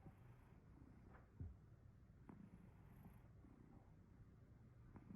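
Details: Male Chartreux cat sleeping comfortably, giving off a tiny, soft snore: a steady, low, rumbling purr-like drone close to the floor of hearing, with a few faint clicks and no other clear sounds.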